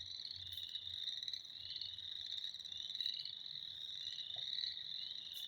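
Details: Spring frog chorus: many frogs calling together in a continuous high-pitched shrill ringing that never pauses, with faint soft taps in the background.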